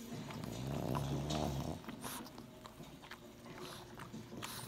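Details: Pug being affectionate with its little brother; a low, rumbling harmonic growl-grunt lasting about a second near the start, followed by snuffles, soft rustling and handling noises indoors.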